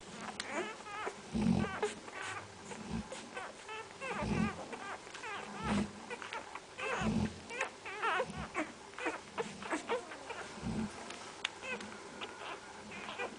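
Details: Central Asian Shepherd Dog puppies giving overlapping high, wavering whines and short yelps, several voices at once, over regular low thumping knocks about every one to two seconds.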